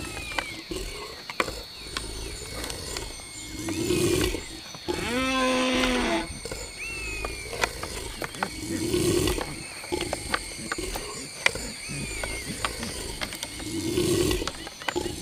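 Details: Two deer fighting in the wild: a low, harmonic bellow lasting about a second near the middle, with deeper roaring bursts recurring roughly every five seconds, plus thin whistled sweeps and steady background hiss.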